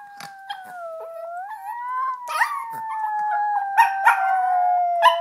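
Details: Busby, a Yorkshire Terrier practicing howling indoors, gives a long sustained tonal howl that dips and rises, with short yips and clicks breaking in near the end.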